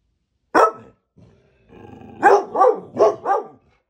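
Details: Pet dogs at home, described as noisy work-from-home office colleagues, among them a labrador, a bulldog and a beagle mix. A single sharp bark, a short pause with faint low rumbling, then four quick loud barks in a row.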